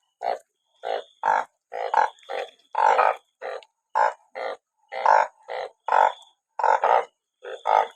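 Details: Many banded bullfrogs gathered after rainfall keep up a dense chorus of short, harsh, nasal croaks, often overlapping in doubles, nearly twenty in eight seconds, with a faint high tone behind.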